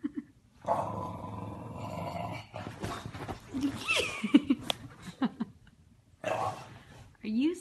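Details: Bulldog in a home compilation of funny pet moments, giving a sustained low grumbling growl for about two seconds, then choppy snorts and rising whiny yelps, with a person's voice talking over parts of it.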